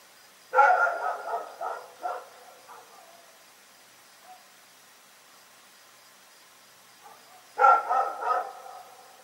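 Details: Rex, a dog, barking in the night: a burst of three or four quick, harsh barks, a long quiet pause with a faint sound, then another rapid cluster of three barks.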